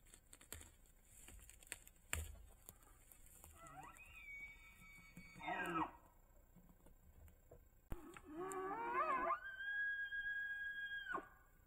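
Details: Rutting bull elk on Idaho public land, captured by a trail camera while chasing cow elk: a shorter wavering whistle, then a long, steady high-pitched whistled bugle holding for about two seconds before cutting off, with scattered clicks and camera noise.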